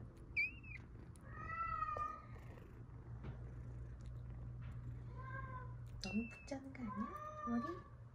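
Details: Crying kittens, rescued after falling into a dark sewer, being hurt in a fall, or being lost in bushes for hours, give several clear, high meows, some bending downward, with a human voice speaking nearby.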